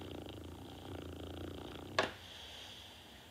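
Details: Low pulsing snore from Norton the sleeping dog for two seconds, cut by a sharp click, then only soft breathy hiss.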